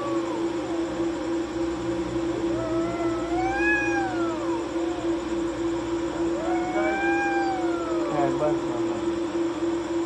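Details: Night fight between two cats perched on a wall: two long arching yowls, each swelling upward then sinking, separated by a pause, with a steady background hum.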